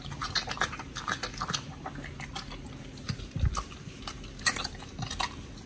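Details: Pit bulls Oli and Nommy feeding on raw giant white snapper, recorded October 2023; scattered wet chomps and crunches with pauses, a few louder bites standing out near the end, indoors.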